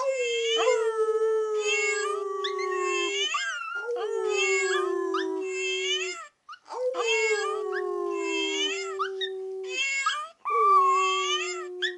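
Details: Teacup Chihuahua indoors howling at a meowing cookie jar, with family howling along in the background: long, sustained, slightly falling tonal howls, each lasting about three seconds, repeated four times with short gaps between.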